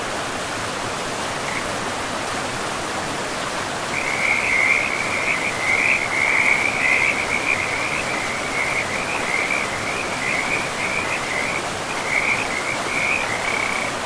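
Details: Frogs by a river in a pristine, moss-covered forest: after about four seconds of steady rushing water, a dense run of high, rapid trilled croaks starts and continues almost without a break to the end.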